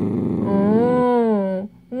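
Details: Dachshund growling over a dog chew inside a home: a rough low growl slides into a drawn-out, wavering whine that rises then falls, followed by a brief pause and another whine starting.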